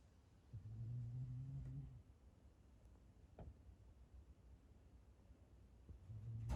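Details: Gon-chan, a black Shiba Inu pet dog, snoring while asleep at home on 9 May 2020: a low, droning snore held for about a second and a half, a faint tap midway, then another snore starting at the very end.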